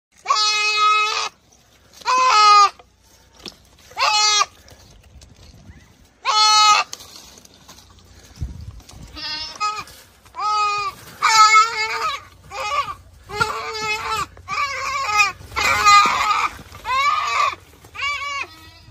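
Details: Goat, described as big, being attacked by a Komodo dragon, giving loud harmonic bleats, a few spaced ones at first and then a rapid series of about ten overlapping cries, some wavering, over low background rumble.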